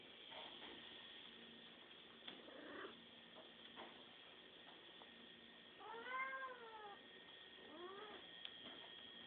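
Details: Pet cat begging for food, giving two quiet, plaintive meows that rise then fall, about two seconds apart, late in the recording over a steady electrical hum and faint background clatter.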